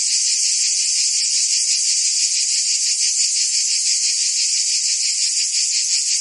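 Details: Summer chorus of cicadas in Provence, France, a continuous shrill hiss-like buzz with fine rhythmic throbbing, many insects blending into one even wall of sound, nothing else audible.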